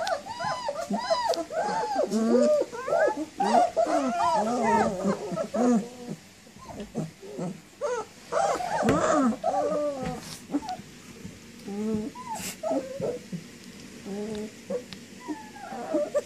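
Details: Several puppies whining together in a dense, overlapping chorus of arched, wavering squeals that fades after about ten seconds into scattered single whimpers.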